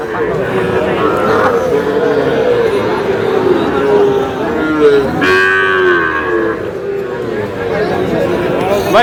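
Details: Sahiwal breed cattle, bull calves, bought by a farmer in Chuadanga on 4 July: drawn-out mid-pitched moos with layered harmonics rise and fall over steady crowd murmur and people talking, with a sharper bellow near the middle.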